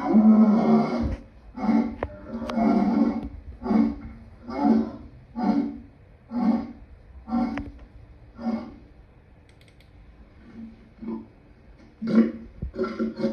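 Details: Lion calling: a long, deep opening roar followed by a series of throaty grunts roughly one per second that slowly fade, then a few louder grunts near the end.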